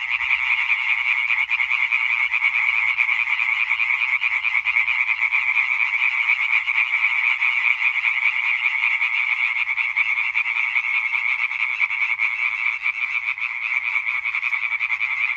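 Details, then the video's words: European tree frogs in a dense calling chorus recorded on 20 May 2023, a continuous wall of rapid, rasping croaks layered over one another with no pauses, strong and steady throughout. "Hyla arborea Konzert Concert"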